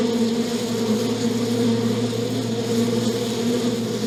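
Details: Bees buzzing in an even, unbroken drone with a low steady hum beneath the wingbeat tone, loud and constant.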